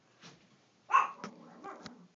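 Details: Eight-week-old Chihuahua puppy, the female Mitzi, one of a litter of two males and one female, gives one sharp, high yip about a second in, then trails off into softer, shorter yelps and whimpers against a quiet background.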